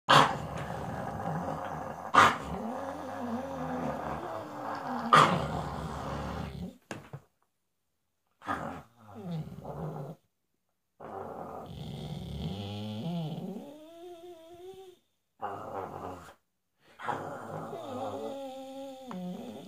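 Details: Dog growling and whining: low rumbling growls in the first seven seconds with sharp clicks, then broken bursts of rising and falling whines and wavering tonal yelps separated by short silences.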